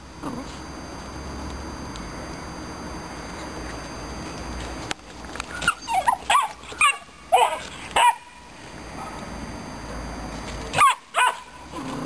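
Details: Aggressive Romanian Mioritic Shepherd Dog puppy: after about five seconds of steady background hiss, it gives short, high, yappy barks and whiny yelps in quick bursts. After a brief gap, two more sharp barks come near the end.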